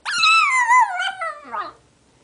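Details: A pet dog "sings" when prompted by its owner to "say hello", giving a drawn-out, tuneful howl that slides downward, then ends in a brief wavering yelp.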